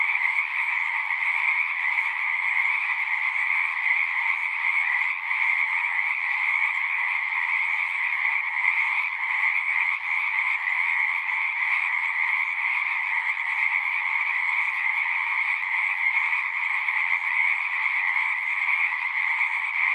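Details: Singing frogs in a thick, ceaseless chorus lasting the whole stretch, overlapping shrill trills forming a steady high hum with a lower companion band, no pauses and no other sounds.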